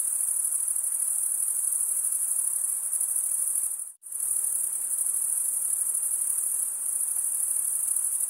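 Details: Summer forest crickets calling at night, a steady high shimmering trill that drops out abruptly for a moment midway, then resumes at full strength.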